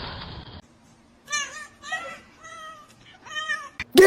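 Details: Kitten meowing indoors: four short, tonal meows in quick succession, each rising slightly then falling, after an opening burst of noise and a quiet pause, ending with a sharp loud knock.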